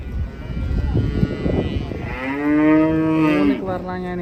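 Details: Unloading cattle from a truck: a scuffling, clattering start, then a steady, level moo held for about a second before breaking off into a lower grunt.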